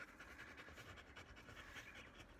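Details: Black Labrador Retriever named Bee, in moulting season, panting softly while being brushed to remove her loosened undercoat; quiet, steady rhythmic breaths with a faint hiss throughout.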